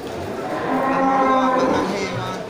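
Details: Jumbo local cattle, traditionally fattened, at Geurugok cattle market in Bireuen, Aceh, Indonesia, on 13 July 2021, the lively weekend before Qurban; one drawn-out, low, harmonic moo swells in the middle and then fades, with faint crowd chatter behind.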